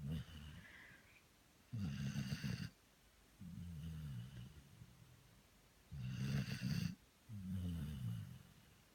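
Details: Merry, a Labrador Retriever dog, snores while asleep, each cycle a harsh, low rattling breath in and a softer grumbling breath out, recurring roughly every four seconds, with near silence between breaths.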